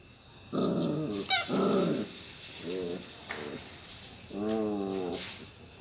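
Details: Labrador Retriever puppy playing with toys, giving short growly, harmonic-rich bursts: two longer ones near the start, two brief clipped ones midway, and a final drawn-out, slightly wavering growl near the end.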